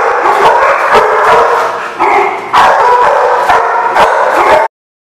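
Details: A crowd of dogs barks and yips continuously in a loud, ragged chorus, with a few longer howling tones rising out of the din before the sound cuts off abruptly.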